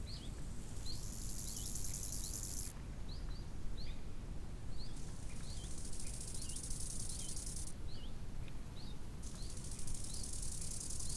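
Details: Summer lakeside crickets sound as a shrill, high-pitched hiss in long bursts separated by short pauses. Small chirping birds call repeatedly and a strong low wind roar fills the background.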